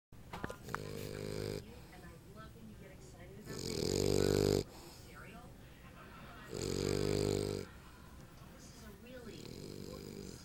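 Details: Lucy, a female English Bulldog puppy, snoring while napping: two loud, rasping, low breaths about two and a half seconds apart, with softer breathing between them and a woman talking fondly nearby.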